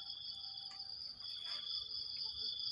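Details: Crickets trilling in the morning after heavy rain at a banana grove: a steady, piercing high buzz runs throughout, with a brief soft rustle midway.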